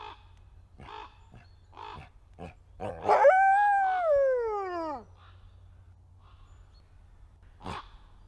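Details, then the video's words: A captive male red wolf at a conservation centre in South Salem, New York gives a brief, clear howl that holds steady, then slides down to a low finish. "Endangered Red Wolf Howls"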